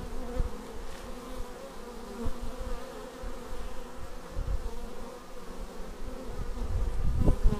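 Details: Bees arriving at a beehive, filmed with a Xiaomi Yi action camera: a steady many-winged hum with layered buzzy tones around a low drone, individual bees swelling louder as they fly close near the end.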